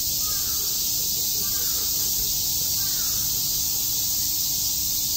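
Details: Many cicadas chirp on a summer day in Shakujii Park, Tokyo, a continuous, even, high-pitched hiss. Faint lower murmuring sounds and a few soft short calls run beneath it.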